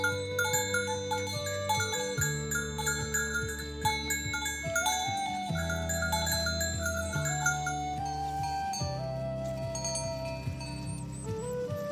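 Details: Bright mallet-percussion music, with glockenspiel and marimba-like tones, plays over a steady low bass line, and no mooing or other animal voice comes through.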